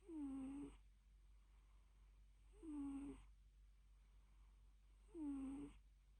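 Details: A napping cat snores indoors: three squeaky, whistled breaths, each about half a second long, come roughly every 2.4 seconds over a faint steady low hum.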